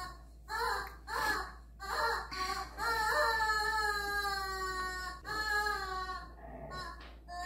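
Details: Pet Siberian husky Miko howls indoors, making noise over his chicken. Several short yelping notes rise into one long, wavering, slowly falling howl of about three seconds, followed by shorter whining notes.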